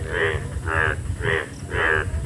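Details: Indian bullfrog, called an Indian yellow tiger frog, gives loud, harsh croaks about twice a second, a mating song in the rainy season.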